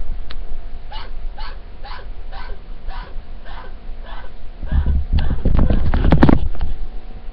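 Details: Male pet chinchilla hiding under a dresser, calling steadily for about twenty minutes: soft, evenly spaced pulsed hiccup-like calls about twice a second, followed by a worried woman's voice and loud handling noise.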